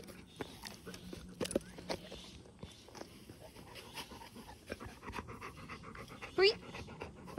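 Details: Youngest retriever playing with its older sister after a bath, before going for a walk; steady rapid panting breaths fill the scene, broken near the end by one brief high whine, with faint voices in the room.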